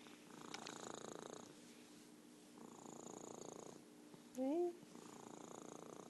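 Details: Merlin, an orange tabby cat and champion purrer, purring softly in rumbling bursts that swell and fade with each breath, about two seconds apart, with a brief rising voiced sound near the end.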